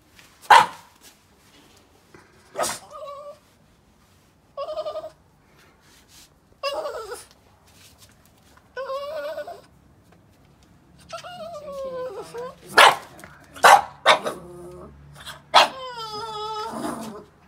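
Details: Boston Terrier overly excited to play, giving sharp barks and yips between high, wavering whines that rise and fall, some drawn out and quavering, in bursts spread over the recording, with a woman speaking Hungarian before it.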